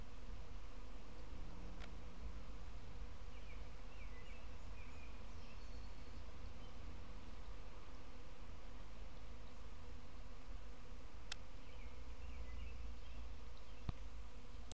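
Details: Kept bees swarming on 6 June 2012, making a continuous low, droning hum that holds steady throughout, with a few sharp clicks.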